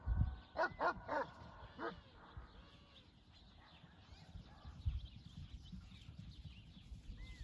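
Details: Great Pyrenees and German Shepherd mix dog barking at horses: a burst of four or five deep barks in the first two seconds, then quieter rustling and faint background sounds.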